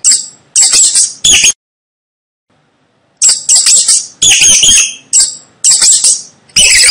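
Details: Sharp, high-pitched rat squeals: three quick bursts, a pause of over a second, then a steady run of chattering squeaks.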